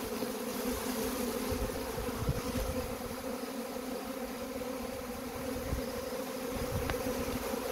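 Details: Collecting a honey bee swarm: a dense, even buzz with a clear two-band hum, steady throughout with faint low rumble beneath.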